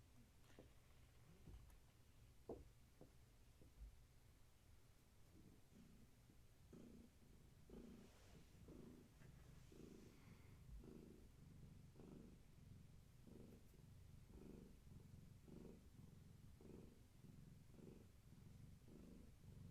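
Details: Domestic kitten from long-haired tabby Gaia's litter purring indoors in the evening while getting a leg massage; a quiet, steady low rumble that swells and fades in regular breath-length pulses, with faint handling rustles.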